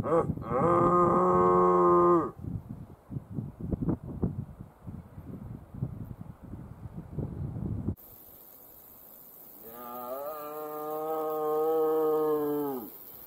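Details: Red deer stag roaring during the rut in thick forest near Lake Waikaremoana, New Zealand, on a windy day, heard from a distance: two long, moaning roars with rustling footsteps in between.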